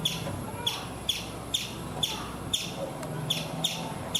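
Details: A chipmunk on an Indian coconut tree gives thinner, clicking chirps, about two each second, with a steady low hum underneath.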